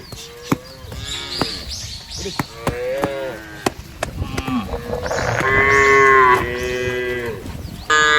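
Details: Cows mooing in a field. Scattered sharp clicks and knocks come first, with a few short moos. Then a long run of loud, overlapping moos builds from midway to near the end.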